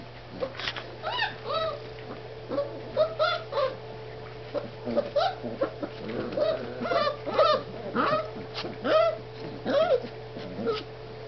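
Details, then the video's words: Four-week-old puppies playing, giving a busy stream of short squeaky whines and yelps, some rising then falling, often overlapping as several pups call at once, over a steady low electrical hum indoors. "pups playing 4 weeks"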